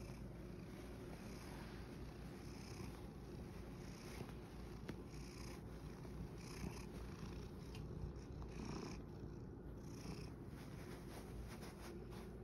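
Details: Satchan, a rescued male cat living at Kazeno Kobo, purrs after tiring himself out playing in a field: a steady low rumbling drone with scattered brief higher clicks and rustles over it.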